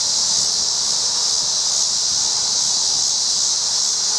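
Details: Short stretch of a Tibicen dealbatus cicada calling while walking in a tree, Colorado rest area between Bennett and Strasburg, 7:44 p.m., August 25, 2011; constant sizzling high-pitched buzz over soft wind rumble.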